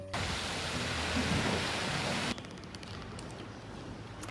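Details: Steady rain-like hiss fills the first half, then drops abruptly to a quieter background with faint scattered ticks and no animal voices.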